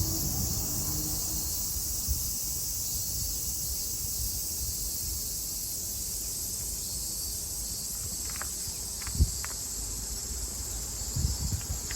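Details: Summer cicadas in Japan, 2022: an even, sizzling high-pitched chorus drones on while a few sharp clicks and soft thumps, like footsteps, break in toward the end.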